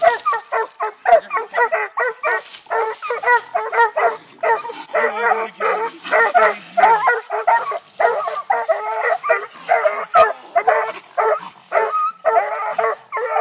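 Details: Six-month-old Treeing Walker Coonhound puppies in Texas, training on a live-trapped raccoon up a tree, bark and bay continuously: rapid, overlapping yelping barks about two per second, some drawn-out bawling notes, several dogs calling together.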